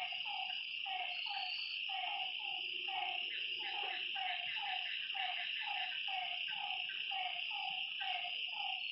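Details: Frogs calling at night by a lakeside: short, slightly falling notes repeated rapidly by several overlapping callers, set against a steady high, shimmering drone of night insects.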